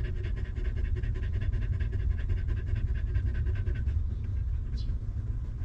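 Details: Stray mother dog caring for a litter of puppies with no comfy bed; quick, evenly spaced panting breaths for about four seconds over a dense low rumble, fading toward the end, with one brief sharp high sound.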